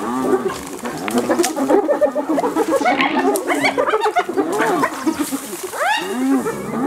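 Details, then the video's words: Hyenas brutally attacking another hyena: a frantic chorus of harsh cackles, yelps and squeals from several animals, with a rising arched cry near the end. "Hyenas Brutally Attack Another Hyena"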